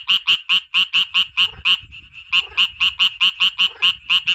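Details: A frog in the wild in Kurdistan calls with quick, high, nasal rasping notes repeated several times a second, breaking off briefly, then resuming at the same brisk pace.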